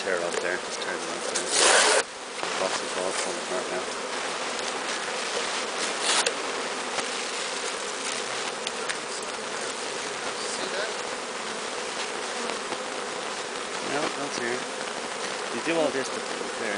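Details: Bee swarm, captured from the top of a large tree, being walked into a new hive: a dense, steady humming drone, with a sharp handling thump near two seconds and scattered faint clicks.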